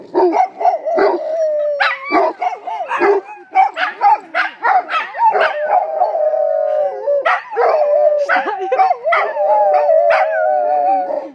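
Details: Two Rhodesian Ridgebacks howling in greeting as they meet a friend, a lively exchange of short yips and barks merging into drawn-out, wavering howls in overlapping voices.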